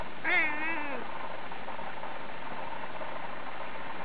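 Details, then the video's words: A Cornish Rex cat, prompted by a cat toy trick, gives a single short, wavering meow that dips at the end. "yes one last beastie one: cornish rex"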